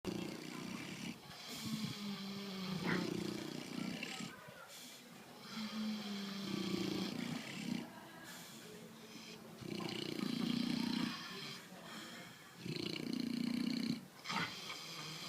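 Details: Fat pigs sleeping and snoring: deep, rough, rasping breaths in long bursts every few seconds, each swelling and fading, with broadband hiss and a few brief clicks between.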